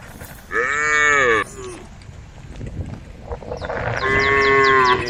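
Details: Tame female cows in a group on a road next to rice fields call to the herd with two drawn-out moos about three seconds apart, the second steadier and longer, over faint high chirps.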